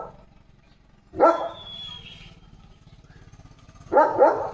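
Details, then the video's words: German Shepherd barking to call its owner, two loud, rough barks about three seconds apart, with a faint steady whistling tone between them and a low hum underneath. "German Shepherd कसा मम्मीला बोलवतोय – आवाजात काळजी!"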